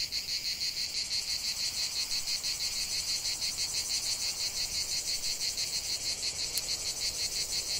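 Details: Cicada song from a lavender field: an intense, sizzling high buzz with regular rhythmic throbs about three per second, steady from start to end, one faint click late on.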